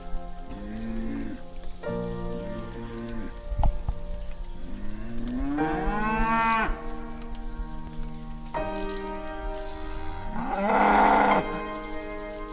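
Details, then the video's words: Cow giving two drawn-out moos that rise then level off, with low steady music tones and a soft rain-like hiss in the background. "Sounds of farm animals: Cow"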